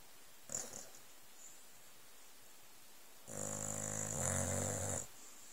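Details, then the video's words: Old Staffordshire Bull Terrier snoring while asleep on cushions on a settee under a blanket, indoors; a short snort, a pause, then one long rattling snore with a harsh hissy upper edge. "Staffordshire Bull Terrier Snoring, Staffi Snoring"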